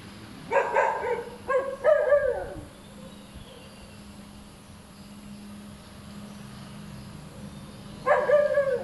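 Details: Noisy, hyperactive dog that keeps on barking: three quick rough barks close together, a long pause filled with low background hum, then another bark near the end.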